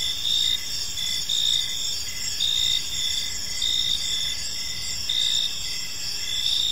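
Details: Crickets in a park at evening, a shimmering high-pitched chorus with regular pulsed chirps rising and falling in loudness roughly every second, low ambient noise beneath.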